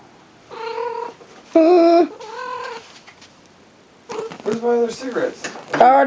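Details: Happy domestic cat squirming; drawn-out harmonic meows and yowls, a long one near the start then a broken, chattering run of calls later, mixed with a person's speech.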